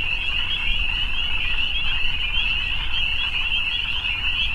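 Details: Evening frog chorus: a dense, steady high-pitched trilling wall with no separate calls, over a low rumbling background.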